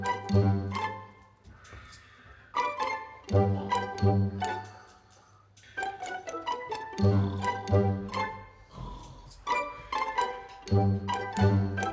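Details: Plucked and bowed string music plays in phrases with pauses, and no animal is heard.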